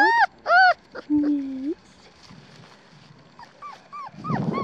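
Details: Nearly four-week-old black tri female Australian Shepherd pup from Tallala, Oklahoma gives two loud squealing yelps and a drawn-out falling whine, followed by soft short whimpers and a human voice near the end.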